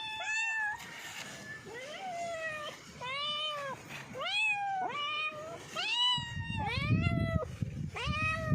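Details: Several domestic cats meowing in quick succession, each meow an arched, harmonic-rich call rising then falling, roughly one every second, some longer and drawn out; low rumbling background noise joins near the end.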